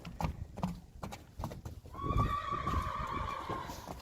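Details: Two happy Friesian colts in a herd, recorded September 24, 2019; thudding hoofbeats for two seconds, then one long, high, harmonic-rich whinny holding for about two seconds before fading.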